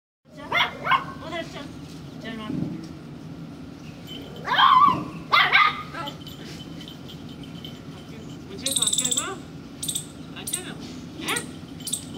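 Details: Two-month-old Lhasa Apso puppy playing with its owner: a few short, high yappy barks in quick pairs over a steady low indoor hum, with faint rustling and scattered clicks between.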